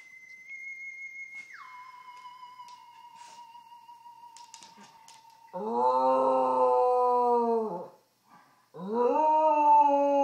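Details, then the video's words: Pet dog howling indoors in reply to a sustained electronic tone from an iPhone; the tone steps down in pitch, then two long harmonic howls follow, the first about two and a half seconds long, then a brief pause before another begins. "Dog howling at iPhone"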